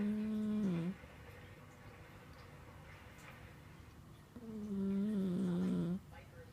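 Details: Sleeping cat snoring: two drawn-out, low, tonal hums with a nasal whistle, each dipping slightly in pitch at its end, separated by a few seconds of quiet room noise.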